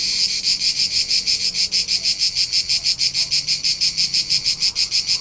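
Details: High-pitched cricket chirping from hillsides in Tuscany, Italy, in summer, evenly pulsed around three times per second, almost nothing else heard beneath.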